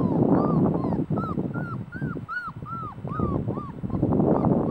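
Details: Puppies of the dog Celosia give high, whistly squeals that rise and drop in small arcs, about four each second, with heavy rustling and scuffling underneath.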